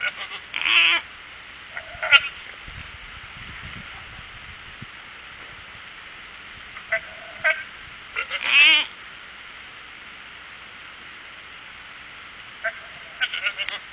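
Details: Goats hollering for their supper: a few short, loud, wavering bleats come in bursts near the start and middle, with a brief last call near the end, separated by long quiet stretches over a low steady hum.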